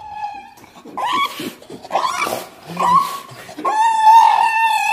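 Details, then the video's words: Shiba Inu dog from a compilation of the breed's sounds: wavering, nasal whining notes broken into short phrases, rising into a long, sustained, howl-like tone at the end. "EVERY SOUND A SHIBA INU MAKES IN UNDER 2 MINUTES"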